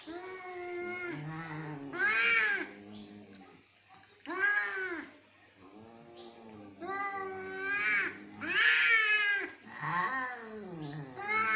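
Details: Cat; yowling; aggression during a fight between cats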